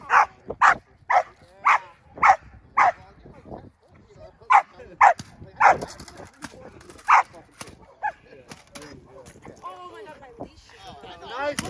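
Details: Indi, a six-month-old Belgian Malinois puppy doing bite work, gives a rapid run of about ten sharp, loud barks over the first six seconds, a few more later, then people talking over softer background noise.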